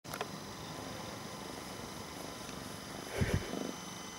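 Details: Pet domestic cat purring contentedly while being petted, an animal that likes to lick and bite fingers; a low, steady rumbling purr runs throughout, with a brief louder rustling burst near the end.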